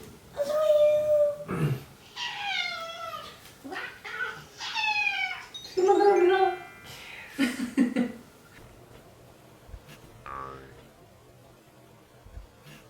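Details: House cat in a home where cats are being gradually introduced to each other: a run of drawn-out, falling meows of varying pitch, some overlapping with soft human speech, then quieter rustling toward the end.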